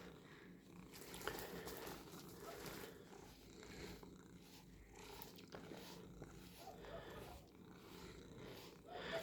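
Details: House cat purring as it is brushed indoors; a continuous low, rattling purr with rhythmic rises on each breath, accompanied by scratchy brush strokes through the fur.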